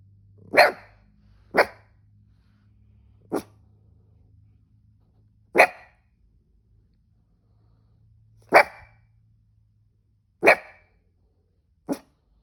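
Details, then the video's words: Cavoodle barking while he has the hiccups: seven short, sharp, isolated barks spread irregularly over about twelve seconds, each a quick broadband yap with long quiet gaps between, and a faint low hum underneath. "This cavoodle was barking when he got the hiccups"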